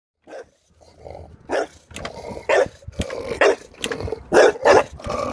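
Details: Pet dog barking at a running lawnmower: short broadband barks that start sparse and grow more frequent and louder toward the end, over a steady low mechanical hum.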